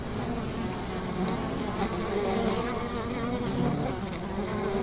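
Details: Honey bees buzzing at a hive beside a river, a dense continuous low drone with steady hum and no clear breaks, faint broadband hiss throughout.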